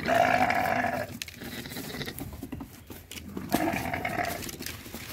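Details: Loud, drawn-out nasal bleat from farm goats mixed with sheep during mating, followed by a quieter pause with shuffling, then a second long wavering bleat near the end.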